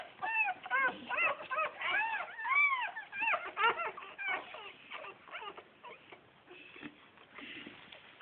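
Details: Bull Terrier puppies, phone recording. Dense bursts of high, arched whimpering yelps overlap for the first four seconds. They fade into quieter, scattered squeaks and shuffling noises.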